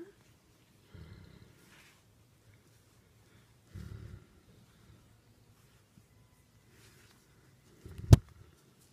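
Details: Becket, a Great Dane therapy dog, purring like a kitten while being petted indoors: two short, low rumbling bursts about three seconds apart in a quiet room, ending with a sharp click.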